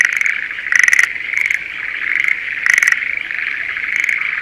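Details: Breeding-season Schlegel's green tree frogs in a spring rice paddy near Sendai, Japan; a steady trilling chorus underlies louder, short rattling bursts that flare up about every second, sharp and chattering, repeated four or five times.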